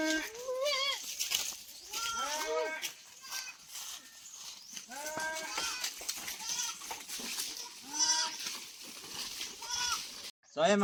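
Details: Penned farm goats calling in intense heat before being led out to pasture; a series of short, wavering bleats mixed with a person speaking and rustling noise.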